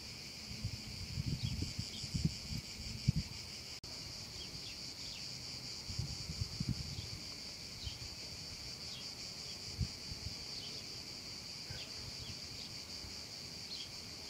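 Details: Summer-afternoon cicada chorus over a meadow, a continuous shrill buzzing drone, with brief faint descending chirps, scattered low thumps and rumbles, and one sharp click partway through.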